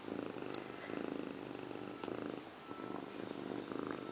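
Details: Female house cat Indiana Piano Rabbit sits in a bathroom sink giving herself a bath, purring continuously in even pulsed waves about a second apart, with soft background rustling in a small room.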